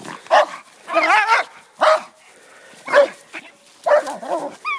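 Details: Šarplaninac farm guard dog confronting a badger on a farm: short harsh barks repeated about once a second, with a wavering, whining higher-pitched cry between them.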